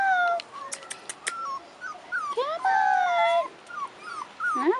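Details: 4.5-week-old Rottweiler puppies out of doors for their first time give a string of thin, high whimpers and wavering whines, some rising and falling, with a few sharp clicks and a person calling them.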